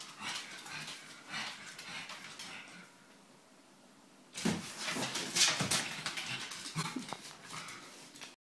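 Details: A pug at home makes short, breathy whines and snuffling barks in bursts, with a quiet pause between; the owner suggests the pug thinks a new girlfriend has turned up.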